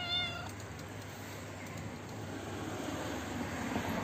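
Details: An old, toothless, hungry female stray cat that lives in a neighbourhood front yard, calling while being fed from a roof: one short meow with a steady falling tone at the start, then only a low background hum.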